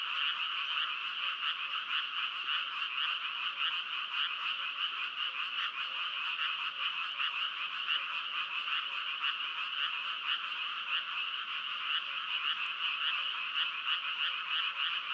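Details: Continuous frog chorus: many overlapping rattling croaks merge into a steady shimmering wall of sound, flickering with fast pulses throughout, with no wind, water or voices.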